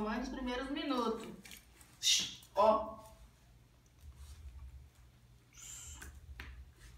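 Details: A Chow Chow, seeing its leash, voices a wavering, rising-then-falling moan followed by two sharp, downward-sliding yelps, pleading to be taken for a walk. A person speaks nearby.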